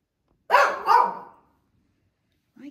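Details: Aging Shih Tzu bitch in a barking spell after dark, apparently wanting treats: a rapid double bark, two loud harsh bursts close together, followed by silence and a brief low human voice at the end.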